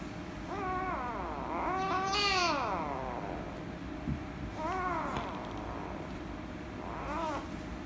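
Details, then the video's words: Rescue kitten, angry when petted, meowing loudly: a few drawn-out harmonic meows, one long rising-falling wail near the start, then two shorter arched meows, over a steady low background hum. "The Rescue Kitten Angry And Meowing Loudly If I Pet Her - Cats Meowing"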